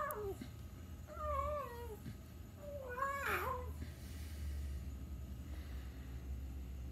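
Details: Domestic cat mewing three or four times in close succession, clear wavering cries that rise and then slide downward, one slightly harsher, over a steady low hum in a small room.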